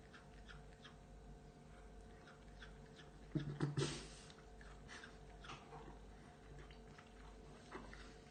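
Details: A male cat, enjoying his meal indoors, asks for more food with a short, low, throaty meow in a quick burst of three pulses midway through, otherwise quiet room noise.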